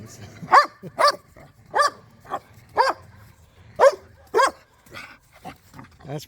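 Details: Pet dogs, pit bulls and a Malinois, romping in a yard during tug-of-war play: a run of short, sharp barks spaced roughly half a second to a second apart, with faint background noise between them.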